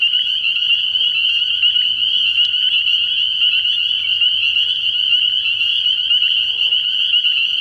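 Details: Many spring peepers call together at a frog pond at night early in the year, giving a constant high, ringing chorus of rapid peeps over a faint low hum.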